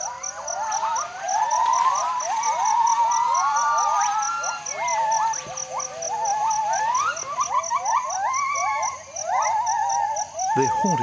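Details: Gibbon song announcing territory to keep rival troops at bay: a dense chorus of short whistled notes, rising and hopping in pitch, over a constant pulsing high insect buzz.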